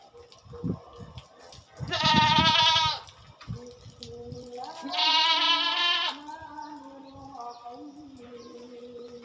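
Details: Goats during a farmer's routine chore repeated every two weeks: two drawn-out, strongly vibrating bleats roughly three seconds apart, with fainter calls from other goats and some background handling sounds.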